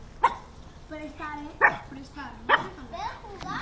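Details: Pug named Alfa giving four short, sharp barks spaced roughly a second apart, with a woman talking in Russian between them.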